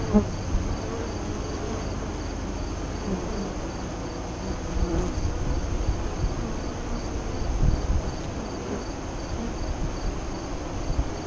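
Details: Honey bees buzzing at the westward-oriented entrance of a hive east of Lyons, Nebraska, during the 2017 solar eclipse, 2:48–3:00 CDT. A deep, continuous colony drone with slight surges and occasional brief tonal flight buzzes, plus a faint high steady tone.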